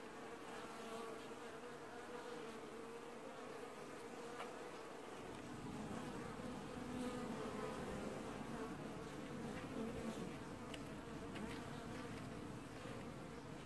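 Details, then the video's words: Honey bee colony washboarding at the hive in an apiary, filmed early July 2019: a dense, steady buzzing hum with a held drone, and a deeper low roar that swells in after about five seconds and continues to the end. "ASMR Washboarding Bees & Ambient Sounds"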